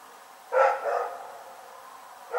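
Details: A dog named Rex barks at night, 27 February 2018: one loud, rasping bark that fades into a lingering tail, with the start of another bark right at the end.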